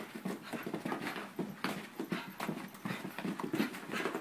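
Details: A seven-month-old puppy and a thirteen-year-old dog together; quick, breathy, rhythmic panting pulses about three per second run steadily throughout, soft and close.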